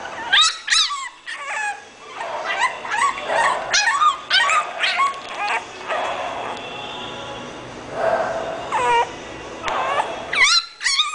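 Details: English bulldog puppy, high-pitched yipping and whimpering in rapid bursts, sharp rising-and-falling squeaks repeated through the recording with short pauses, a steady background hiss underneath.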